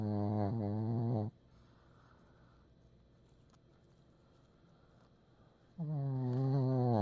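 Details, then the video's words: Pekingese dog snoring: a loud, droning harmonic snore with a slightly wavering pitch, a quiet pause of several seconds, then another long buzzing snore begins. "페키니즈 코골이2"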